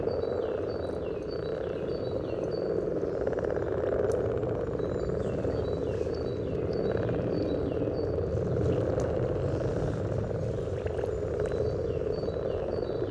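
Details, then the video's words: Many common frogs at a spawning site beside the yellow trail, Sunnersta, Uppsala, Sweden, captured through a parabolic microphone: an unbroken low grumbling chorus under repeated short whistled bird phrases, with some low background rumble. "Spelande vanlig groda vid gula stigen"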